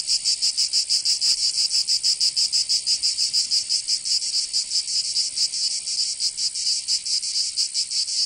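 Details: Summer cicada chorus from Provence in the south of France, a harsh high buzz throbbing in uneven pulses a little over once a second, continuous and loud with nothing else audible.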